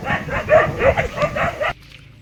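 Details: Dog giving about five quick, sharp barks in a rapid run, roughly three per second, before falling silent.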